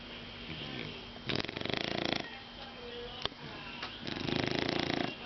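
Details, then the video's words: Shar Pei dog named Caco asleep on a very sleepy day, snoring in two rough, rasping bursts of rapid fluttering pulses, separated by quieter breathing and a sharp click. "shar pei caco roncando"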